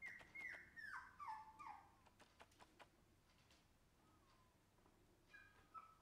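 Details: Shiba Inu puppy giving a quick series of high whining whimpers that step and slide downward over the first two seconds, then quieter clicks and one soft falling whine near the end, in a small room.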